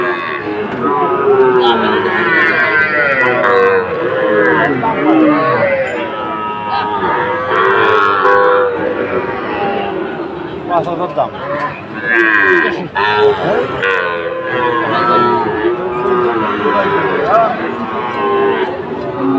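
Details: Lowing from Sahiwal cattle at a bustling Faridpur cattle market, Bangladesh, 1 June 2024: repeated rich, wavering moos overlapping one another, mixed with constant human voices and market bustle.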